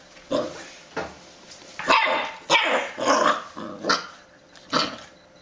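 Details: Puppy barks, rough and harsh with a growling edge, about six loud yaps spaced roughly a second apart over a hissy background.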